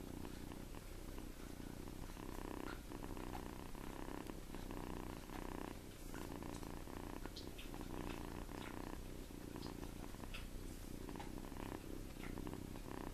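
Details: Sleeping seven-week-old farm kitten Tommie snores while held in a hand, a continuous low purr-like rumble swelling and easing with each breath, a short quieter gap midway, and small scattered handling noises.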